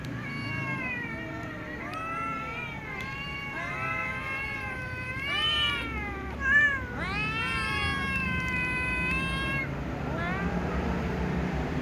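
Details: Several little cats, including a tom cat, a ginger cat and a silver cat, meowing pitifully at meal times: overlapping harmonic meows, many rising then falling, one after another almost every second, with a low background hum.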